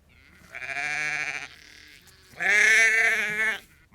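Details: Flock of roughly 30 to 50 ewes and lambs calling on a farm; two long, strong, quavering bleats, each about a second, separated by a quieter, thinner bleat in the background.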